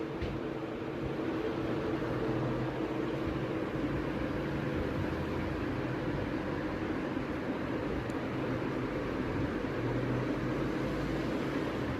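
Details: Only a steady, even rushing noise, like a fan or engine hum, fills the whole stretch without any distinct calls.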